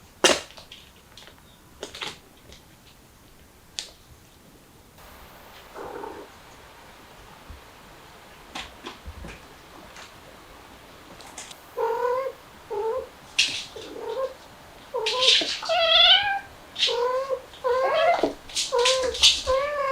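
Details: Mother cat, a stray, with her kittens, trying to escape through a window. The first half is quiet apart from scattered knocks and clicks. From about twelve seconds a run of short, high, bending mews follows in quick succession, often overlapping toward the end.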